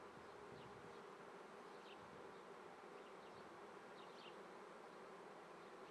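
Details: Honey bees humming steadily in an Italian apiary at Treviso, 22 May 2010 at 9:30 am, the month of swarms; dense buzz throughout with a few thin, high bird notes.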